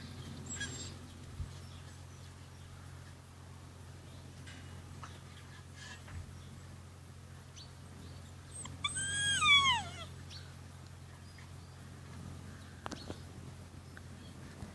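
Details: Rhodesian Ridgeback puppies at day 53 of the E-Litter, kept indoors on a bad-weather day and playing; one short, high, wavering yelp slides downward midway through, over a steady low hum and a few faint knocks.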